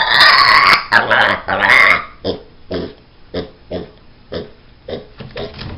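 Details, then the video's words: Sherman, a pet pig, protests when he doesn't get what he wants: harsh, demonic screaming squeals for two seconds, then a run of deep rhythmic grunts about twice per second. "Demon pig!"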